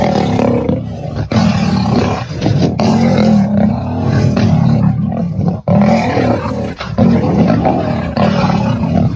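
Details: Dark-maned male lions clash over dominance at Kareiga, South Africa, 6 October 2024, producing sustained harsh roaring and snarling. The rasping growls surge repeatedly with only short pauses throughout.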